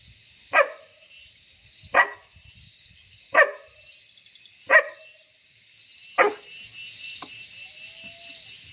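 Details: German Shepherd puppy being trained; five short sharp barks spaced roughly 1.4 seconds apart, then a faint yip, with a constant high-pitched hum behind.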